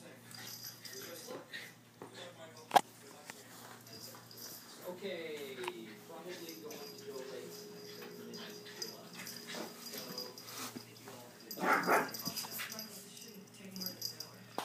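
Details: Two pet dogs, Chubbles and Cuteness, playing rough as Cuteness gets her revenge on bossy Chubbles: a drawn-out falling whine with stacked tones midway, breathy huffs and scuffling throughout, with people talking and laughing in the background.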